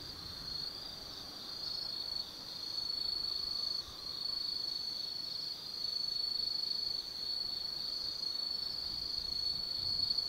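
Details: Insects singing on an autumn night at Tsukimi no Mori in Kaizu, Gifu, Japan, above the lights of the Nobi Plain: continuous shrill ringing trill, dense and steady, with loudness rising in broad waves and a soft low background hum.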